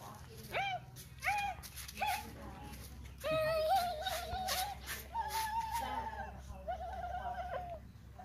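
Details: Siberian Husky dog indoors giving a run of vocal calls: three short rising yelps, then longer wavering howl-like whines held about a second each, some sliding up and down, with quiet room background between them.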